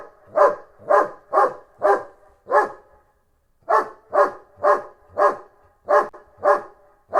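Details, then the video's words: German Shepherd barking: eleven sharp, loud barks in two runs of five and six, about two per second, separated by a brief silent gap near the middle. "Sonido de los ladridos de un Pastor Alemán"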